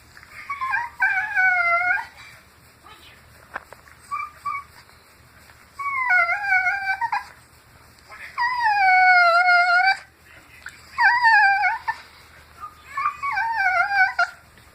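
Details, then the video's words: Dog vocalizing while being scratched by its owner: a run of drawn-out, wavering whining howls in separate bursts a few seconds apart, each bending up and down in pitch, with quiet pauses between. "makes weird noise"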